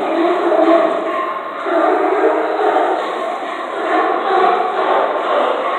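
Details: Sea lions under the docks of Astoria bark and groan together in a steady, overlapping chorus of rough, honking calls, one seeming to call back at a person.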